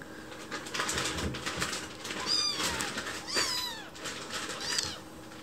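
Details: Chichi, a white rescued kitten found alone, begs for food in a sweet voice when someone is in the kitchen. A few short, high rising-falling meows come amid clicking and tapping kitchen noises.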